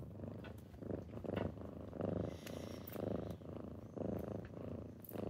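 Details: Kittens purring indoors in the morning as they wake their owner: a steady low rumbling purr pulsing in roughly one-second swells, with faint soft clicks and rustles.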